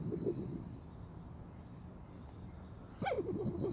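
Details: A trapped raccoon, removed at 2 a.m. from a kitchen after entering through a cat door, gives thin, wavering, fluttering whines, with a sharper cry near the end.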